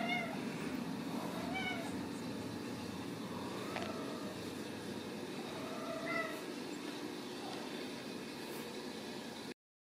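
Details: Home-raised Ragdoll kittens at a central Kansas cattery mewing repeatedly: short, bright, bending cries at irregular intervals over a constant low rumbling hum, the sound cutting off abruptly at the end.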